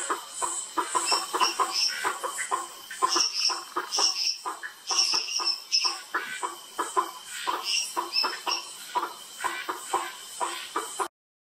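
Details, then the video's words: Bischoff's tree frog (Boana bischoffi) at Sitio Cantos da Mata, Mogi das Cruzes, São Paulo, Brazil, 8 February 2019: dense, overlapping bursts of short clicking, pulsed notes, repeated rapidly in a lively chorus with a steady high-pitched hum behind. "Hypsiboas bischoffi Mogi das Cruzes SP Brazil"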